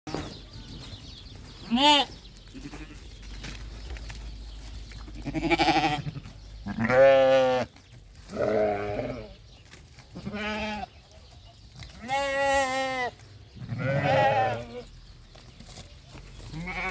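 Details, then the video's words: Farm goats bleating alongside sheep: a series of loud, wavering, nasal bleats, some long and quavering, others short, coming irregularly every one to two seconds over quiet background. "The sounds of goats and sheep on the farm are beautiful"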